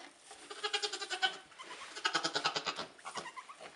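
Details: Nigerian Dwarf goats, a doe with newborn triplet kids, two doelings and a buckling only a few hours old, in 2015; rapid series of short, nasal, wavering bleats in two bursts, the second louder and higher.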